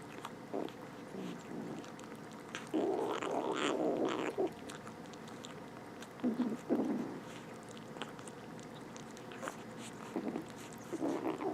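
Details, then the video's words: Two rescued stray kittens, both with infected eyes, making little noises while eating; soft, low murmuring and growly bursts in short spurts, one longer run in the middle, mixed with faint chewing clicks in a quiet room. "Rescued some stray kittens from outside, they make the cutest little noises while eating!"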